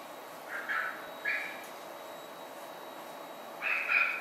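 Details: Eight Basset Hound puppies born on December 25 give three short, high, whining squeals near 0.7, 1.4 and 3.8 seconds. The last squeal is longest and splits into two tones, heard over a steady background hiss.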